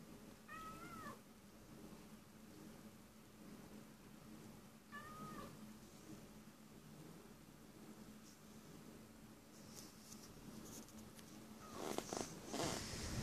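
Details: Cat crying in vain; two short, wavering meows several seconds apart over a steady low hum, with clattering handling noise near the end.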